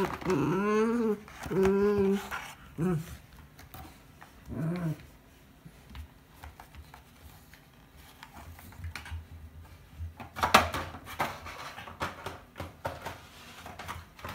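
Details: Kurumi, a Miniature Schnauzer in socks, plays indoors with an empty chocolate ice bar box; a few throaty growls open the scene, then quieter rustling and scuffling as she handles the box.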